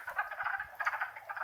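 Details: A wood frog chorus in Longkill Woods wetlands on a warm April spring day: many overlapping clucking croaks blend into a continuous rattling murmur.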